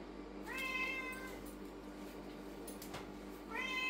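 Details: A lynx point Siamese cat gives two loud, drawn-out meows, rising then falling, with a steady low hum behind.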